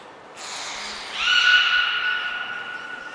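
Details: Beluga during a training session at Port of Nagoya Public Aquarium, 16 March 2024, all animals taking part: a hissy breathy onset gives way to a loud, level, pure whistle held for about two seconds, with clear harmonics.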